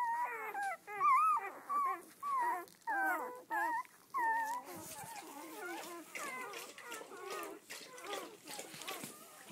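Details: Eleven red-rust Doberman Pinscher puppies, seven females and four males, on their first day out: loud, bending whimpers in separate bursts for four seconds, then softer, crowded whining mixed with background chatter.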